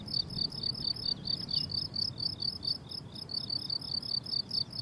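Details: Summer meadow crickets producing a continuous rhythm of shrill, pulsed chirps near two per second, one faint brief chirp from another source mid-clip, and low background rumble.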